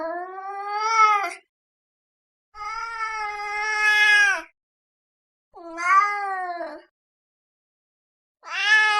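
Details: Angry domestic cat giving long drawn-out wailing yowls, four rich harmonic cries each lasting one to two seconds with gaps between, the second rising in intensity toward its end; no other sounds.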